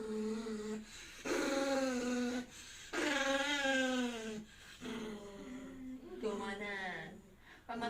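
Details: Poodle indoors, calling for its nanny for help in a talking-dog style: drawn-out, wavering whine-howls about a second long, each bending downward, coming in bursts with short pauses, while a person talks to it and music plays softly.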